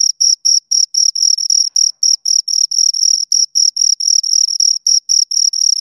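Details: Close recording of two crickets stridulating: high, thin, rhythmic chirps in quick succession, around four a second, occasionally merging into brief trills, nothing else audible.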